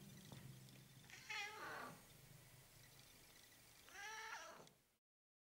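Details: Ocicat kitten, chocolate spotted silver, eleven days old, gives two high, harmonic-rich mewing cries about three seconds apart, each rising then falling, over a steady low hum.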